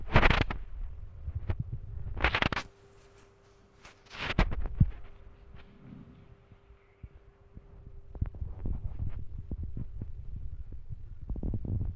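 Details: Thumps, clicks and rustling handling noises over a faint steady hum, with low rumbling background and no clear animal voice.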